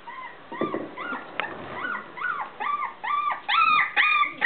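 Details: Irish terrier puppy, four weeks old, whimpering in a run of clear, high, arched whines with bright overtones. The cries come about twice a second and grow louder and longer toward the end.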